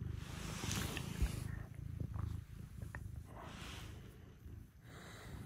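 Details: Early-morning house cats (Scottish folds Tsumu and Mugi, British shorthair Maro) visiting to rouse their owner; a pulsing low purr fills the first second and a half, then softens under bedding rustles and a quiet greeting.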